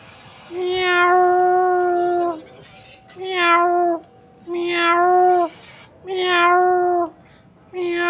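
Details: A mother cat and her kitten meow over and over, about five long, even, harmonic meows, each lasting roughly one to two seconds, with short pauses between them.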